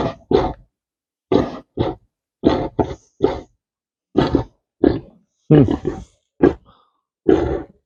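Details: A pastured Tamworth sow, which her owner suspects is pregnant, gives short, rough grunts in uneven bursts: the low, contented noises of a happy pig at home.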